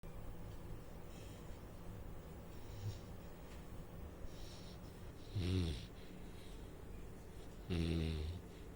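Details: Saint Bernard puppy asleep, snoring: two loud, low, rasping snores late in the clip, each about half a second, with faint softer breaths between over a quiet indoor hiss.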